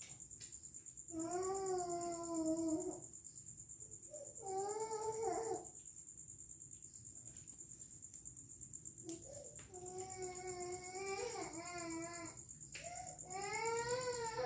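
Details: Cat meowing indoors in long drawn, harmonic cries, four separate calls with pauses between, over a steady high electronic whine and low background hum.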